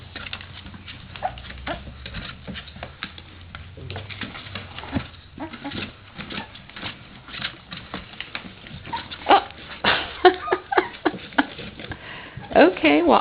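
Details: Three-week-old puppies from Sofia's third litter, newly awake to play, crawling out of the nest; soft scuffling gives way to a run of short, high whimpers and yelps in the final seconds, with a woman talking in a small indoor room.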